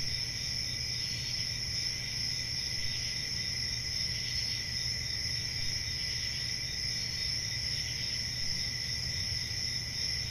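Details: A summer-night forest cricket chorus, shrill and unbroken, many overlapping high trills forming an even drone above a quiet low rumble for the whole stretch.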